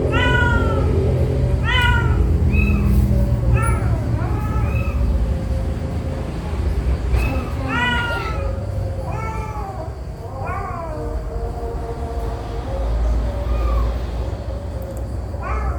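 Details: Domestic cat scene with a mother cat carrying her four kittens in her mouth: a steady run of short, arched, mewing meows, several every few seconds, over a constant low rumble of background noise.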